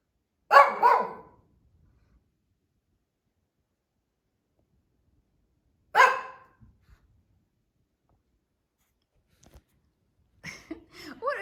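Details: Female Shih Tzu barking as she roams a family room indoors, maybe bored or watching outside; sharp double bark, another bark five seconds later, then a woman's voice begins near the end.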